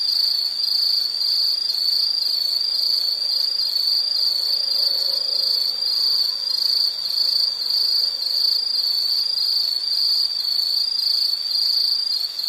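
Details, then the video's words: Insect calling in a steady, high-pitched chirring trill that pulses rapidly and evenly throughout, with faint high overtones and no other clear sounds. "Sound · Nature Sound of nature sounds scenery L · insect"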